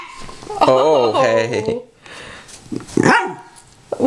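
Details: A Tibetan Terrier begging for popcorn gives a wavering, drawn-out whine lasting about a second, followed by quieter grumbles and short vocal bursts, with a person's voice mixed in.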